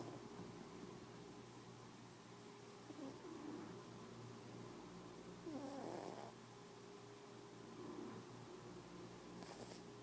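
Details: Sleeping house cat snoring while it dreams, a quiet steady low rumble with gentle breathy rises around the middle and end, otherwise calm room.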